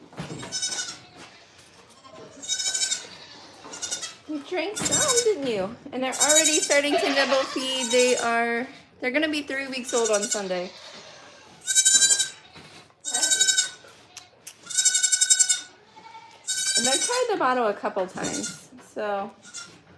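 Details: Goats at The Willful Goat Farm & Home bleat again and again in wavering, nasal cries, several coming in quick bursts near the end, with people talking between and over them.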